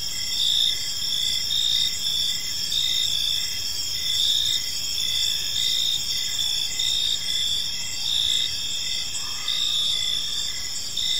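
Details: Evening cricket chorus in a quiet park, with steady shrill trilling and evenly spaced short chirps throughout. A soft low rumble sits beneath, and a brief fainter tone enters near the end.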